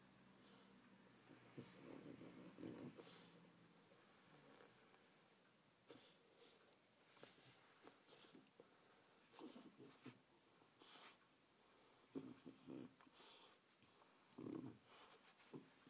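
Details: An eight-month-old French Bulldog indoors, playing with a stunned fly on a dining-room rug; quiet, irregular snorts and wheezy breaths in short bursts, the clearest around the second and near the end, over faint room noise and light tapping.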